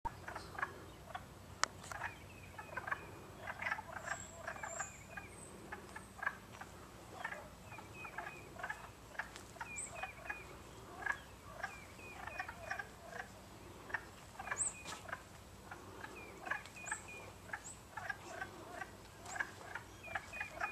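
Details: A chorus of wood frogs at Long Pasture on 19 March 2012 gives dense, overlapping duck-like quacking clucks and chuckles, with a few thin high peeps above.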